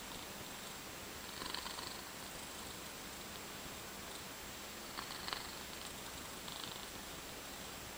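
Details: Domestic cat snoring after falling asleep sitting up: soft, breathy rasping exhalations rising out of a steady low hiss, about three faint breaths spread over eight seconds, with no other clear sounds.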